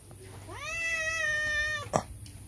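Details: Cat begging for food outside a house gives one long meow that rises, holds steady for over a second and drops off, followed by a sharp knock.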